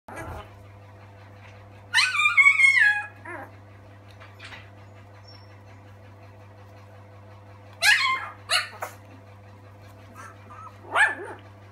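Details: A three-week-old Alaskan Malamute x Siberian Husky puppy, one of a litter of six, gives high, wavering whines and yips separated by pauses.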